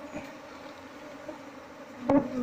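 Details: Honey bee colony with its nest inside a wall, disturbed during a failed search for the queen to move it into a hive box; steady low droning hum with a higher overtone, ending in a sharp knock near the end.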